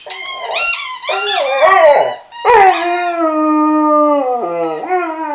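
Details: Millie, a chocolate Labrador, howls while playing with her squeaky toy: long, drawn-out harmonic wails that slide up and down. Each wail holds steady, then falls away.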